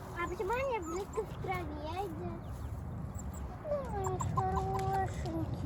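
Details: Wolf pups kept among rescued wild animals howl in wobbling, rising-and-falling tones, several overlapping voices, ending with a steady drawn-out note broken by short higher yips, over a constant low hum.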